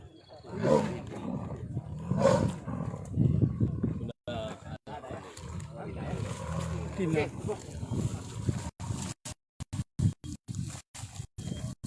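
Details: Sumatran tiger caught in a conservation agency trap at Singgersing village, Sultan Daulat, Subulussalam, Aceh, on 7 March 2020, reported healthy: rough, low growling roars in two or three heavy bursts, then softer rumbling with broken dropouts and human voices.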